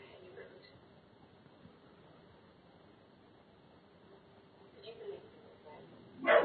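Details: A young Doberman Pinscher, hair standing up, gives its very first sharp guard bark after a quiet stretch, showing protective instincts.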